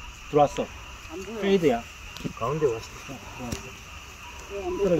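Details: Frogs croaking in the mountains by a golf course: short, low, twangy calls rising and falling in pitch, given in loose clusters about once a second, with a steady high insect-like hum behind them.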